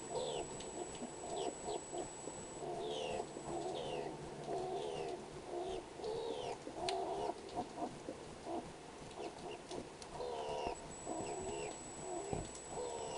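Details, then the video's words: Skunk calling at a feeding window, a long run of short downward-sliding chirps and wavering squeals tumbling one after another, set against a constant faint high electronic tone and light background hiss. "THE STRANGE SOUND OF A SKUNK'S VOICE"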